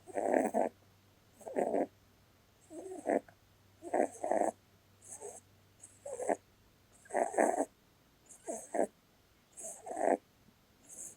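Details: Blueberry, a pet Holland Lop rabbit, snoring while asleep; rough breathy snores about every 1.3 seconds, each paired with a faint hiss, with some breaths softer than others.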